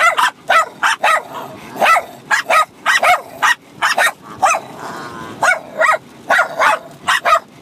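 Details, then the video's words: Six-month-old Bichon Frise puppy and older dog fighting and playing while barking at one another; dense run of sharp, high yapping barks, several per second, with a brief pause midway. "Bichon Frise Puppy & Dog Barking at each other Crazy for over 5 minutes"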